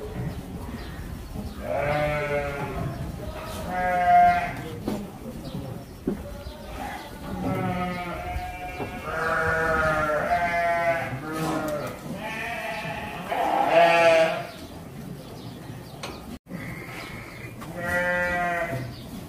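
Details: Boarded goats at Zaahi Goat Farm in Virar, Mumbai call out at feeding time, giving repeated tremulous bleats, some short and some drawn out, from several animals in turn, with thumps and rustling in between.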